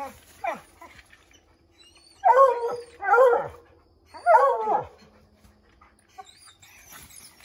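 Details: Redbone Coonhound pack trying to send a treed chipmunk scrambling from an oak: three strong, bugling bays about a second apart after faint early barks, then quieter sounds.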